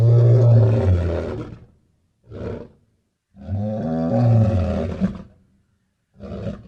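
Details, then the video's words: Lion roaring: two long, deep, groaning roars of about two seconds each, each trailed by a short low grunt, with silent gaps between. "Som de Leões"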